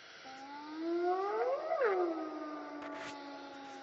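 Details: At an elephant park in Africa, a hyena gives a drawn-out, siren-like moan rich in overtones that climbs steadily to a peak, then falls away and trails off on a low held tone.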